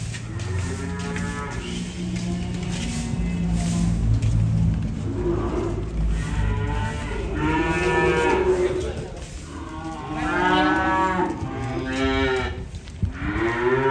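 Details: Cattle being unloaded, lowing in several long harmonic moos, some rising and falling, spaced across the recording, over a steady low rumble and clatter.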